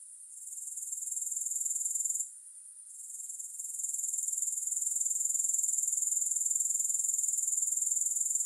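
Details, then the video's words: Grasshopper sound with no music: thin, piercing pulsed chirring that starts softer and swells. It drops out briefly after two seconds, then rises back to a loud, even rhythm of roughly three to four pulses per second. "Grass Hopper Sounds"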